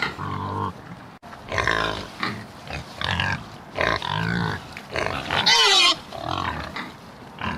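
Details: Pig making a string of deep nasal grunts and drawn-out, wobbling squeals, each about half a second long, with a piercing high squeal around five and a half seconds.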